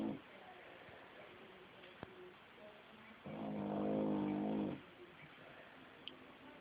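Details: Puppy napping indoors in a basement, snoring: one long, loud, rasping snore of about a second and a half, rising sharply and ending abruptly, with quiet breathing and faint room noise before and after.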